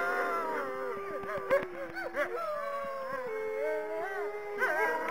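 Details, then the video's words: Wolves howl together in a dense chorus, with overlapping wavering notes, short yips and sliding cries that rise and fall throughout. "Recopilación de sonidos de lobos aullando solitarios y manada"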